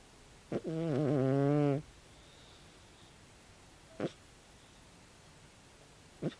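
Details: A calico cat aged 16 snores loudly in its sleep. There is one wavering, buzzy snore of over a second, then near silence broken by two short breath clicks.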